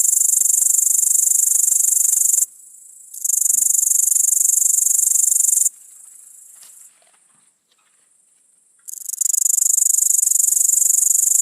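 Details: Tettigonia viridissima, the great green bush-cricket, captured with an iPod touch 5, gives a sustained shrill buzzing trill in long bursts separated by several pauses, including one lasting about two seconds before the song resumes.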